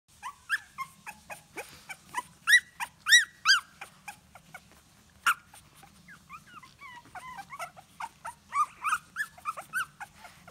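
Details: Two three-week-old (25-day) King Charles Spaniel (English Toy Spaniel) puppies whine in high, squeaky, rising-falling cries, looking for their mother.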